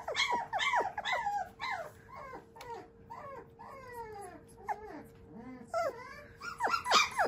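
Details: Shiba Inu puppy, a male whose sire is a JKC champion, giving a run of high, whiny yelps and whimpers that bend sharply up and down, clustered in quick bursts with short pauses, indoors with a steady faint hum behind.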